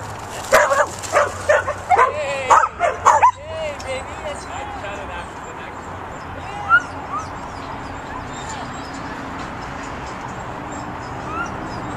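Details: Pit bull puppy herding sheep lets out a rapid burst of about eight harmonic, yelping barks in the first three seconds, then falls mostly quiet apart from one later yip and low background noise.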